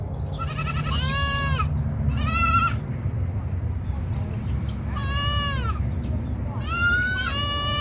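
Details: Several pygmy goats bleating in quick succession: four loud, quavering, harmonic-rich bleats, some rising then falling, separated by short pauses, against a constant low-frequency hum.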